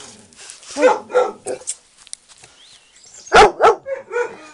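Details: Yellow puppies playing and tussling over a toy give sharp, high yappy barks, two early and a louder pair near the end, with short whiny yelps between and a person talking softly.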